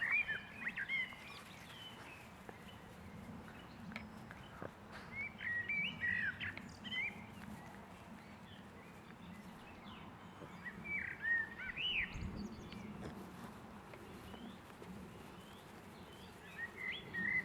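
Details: Six-week-old Boston Terrier puppies whimpering, with high, thin squeaky whines that rise and fall, coming in irregular bursts every second or two over a low steady background hum.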